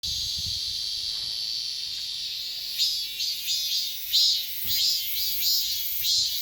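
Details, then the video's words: Korean cicada (chammaemi) singing in summer: a steady high, shrill buzzing drone, then from about three seconds a run of rhythmic pulsed phrases, each swelling and fading, roughly one every half second, over a quiet low background. "매미 울음소리 맴맴맴"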